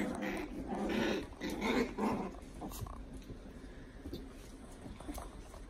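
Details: Puppy at play giving rough, noisy growls in about three bursts over the first two seconds, then quieter rustling and soft scuffling sounds.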